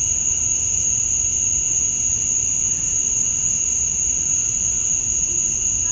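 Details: Continuous cicada chorus on a summer night at dusk in Georgia, USA, the males chirping to draw females; a piercing, unchanging high tone layered over a weaker mid-pitched hum.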